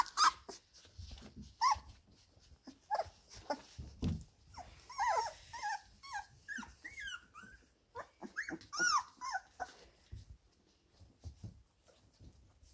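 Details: Labrador Retriever puppies, 17 days old, playing in the whelping box indoors; a busy run of short squeaky yelps, whines and small growls, many overlapping, with bursts rising and falling, scuffling between them.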